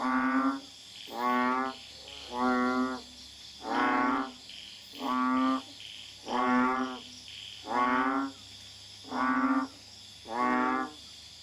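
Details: Common Asian Bullfrog calling at night in a garden in Kuala Tahan, Pahang, Malaysia: deep, nasal, mooing notes, each under a second, repeated steadily about every 1.3 seconds, over a faint high insect hum.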